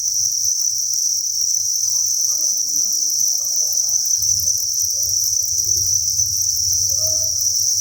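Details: A dense cricket chorus from a cricket breeding farm holding thousands of insects, a steady high-pitched trill throughout, with low rumbling rustles rising in the second half.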